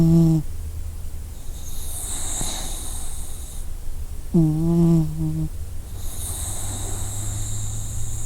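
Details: Slumbering dog with breathy whistling inhales and two short, low, moaning snores about four and a half seconds apart, against a quiet low hum.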